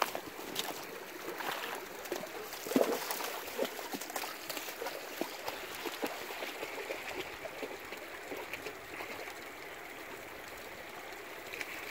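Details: A small stream trickles and gurgles with scattered clicks and light handling noise, and no animal call is heard.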